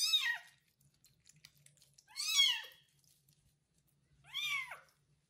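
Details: Freshly bathed kitten Kubik, cared for by a foster mother cat who licks him, gives three loud, downward-curving meows spaced about two seconds apart in a quiet room.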